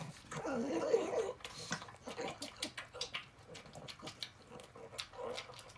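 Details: Rabi-san, a sixteen-year-old blind and deaf female pug, eats canned tuna indoors: a rough, breathy snorting grunt up front, then a run of quick wet chewing clicks and smacks about three per second.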